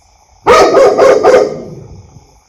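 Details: Domestic dog barking loudly indoors: a quick burst of four sharp barks in about one second, followed by a fading echoey tail and then quiet.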